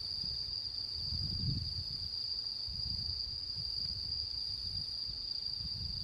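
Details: Autumn insect song recorded on the full-moon night of 10 September 2022 in Japan: an unbroken high, steady ringing tone over intermittent low rumbling bursts of wind or handling noise.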